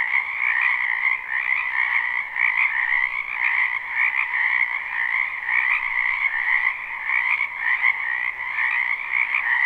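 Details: Dense chorus of many frogs in a spring wetland behind a house, live recording: continuous trilling croaks layered in two bands, mid and high, pulsing steadily with no pause.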